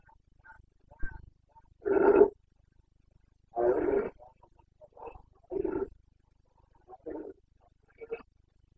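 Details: Carpathian red deer stag during the breeding-season rut (boncănit), Bucovina, Romania, 29 September 2022: two long, deep, rasping roars, followed by shorter, broken bellows and grunts that fade in strength.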